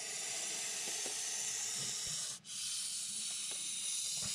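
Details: Montpellier snake (Malpolon monspessulanus) hissing defensively as a reaction to threat: a long, steady, airy hiss broken by one brief pause midway, with faint handling clicks underneath.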